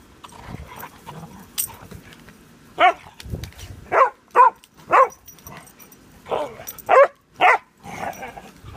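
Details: Pudelpointers spatting over a bone give a run of short, sharp barks, about eight in six seconds, some in quick pairs, with softer snuffling and grumbling between them.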